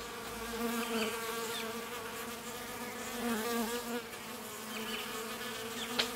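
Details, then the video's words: Bees in a fight at a drinking spot. A loud, wavering wing hum swells and fades, with overlapping buzz tones shifting in pitch and a sharp click near the end. "Bees Drinking 0009 - Fight"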